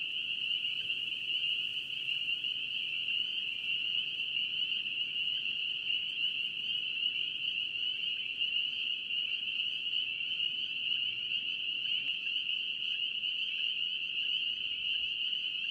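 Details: A massed chorus of spring peepers from North Carolina: countless high, shrill peeps blending into one steady ringing band that never pauses, level and unchanging across the stretch, with quiet low-frequency background noise.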